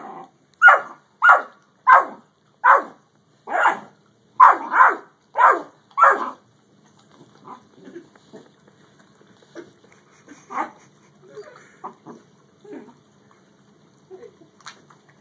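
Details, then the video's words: Dogs in a Great Dane versus yellow Labrador encounter give a fast run of eight even barks over six seconds, then faint scattered yips and quiet noises trailing off. "Great Dane vs Yellow Lab"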